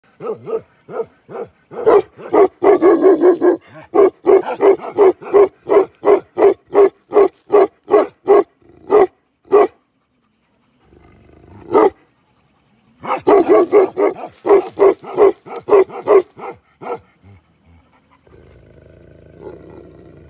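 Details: Bakarwal guard dogs, a black pair, barking in a fast run of loud deep barks, pausing briefly then resuming, with a steady high whine in the background.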